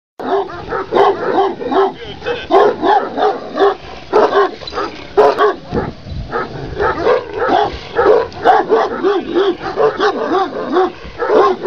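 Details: A huge Kangal dog, 95 cm tall, gives a rapid run of short, harmonic bark-yelps, several each second. They rise and fall in pitch and continue almost without pause from start to end.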